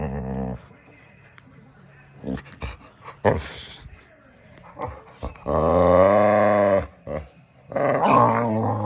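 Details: Samson the Boxer dog making funny close-up sounds: rumbling growls, then a long groaning, moaning vocalisation with a wavering tone around six seconds and a shorter rising whine near the end, indoors.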